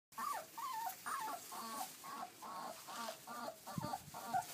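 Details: Twenty-day-old Kuvasz puppies whimper and squeal in a steady run of short, high, wavering cries.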